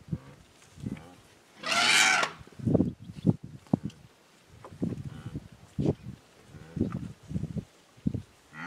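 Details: African elephant calf trumpets while mock-charging a passing flock of guinea fowl, with an adult elephant nearby. It gives one loud, harsh, brassy blast lasting about half a second, surrounded by repeated low clucking and rumbling sounds.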